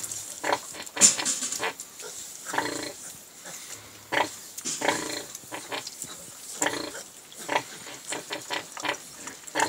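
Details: Piglets from a farm litter eating lunch alongside their sow; a busy stream of short squeals and grunts, some harmonic and squeaky, overlapping irregularly through the clip with wet feeding noises.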